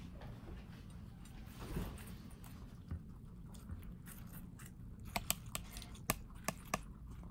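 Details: Pet guinea pigs in New York City munching watermelon; soft rustling nibbles early, then sharp, distinct crunches around the fifth to seventh second, set against a low room rumble.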